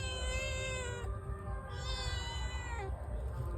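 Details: A domestic cat greedy for fish meows while being offered fish, giving long, drawn-out, steady meows, one after another, over a low background hum.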